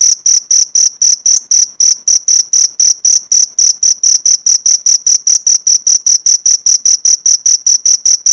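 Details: Cricket song recorded as tutoring material for pleci songbirds, a rapid train of shrill, high-pitched chirps, roughly four or five per second, even in loudness and keeping a steady beat throughout, with no background noise.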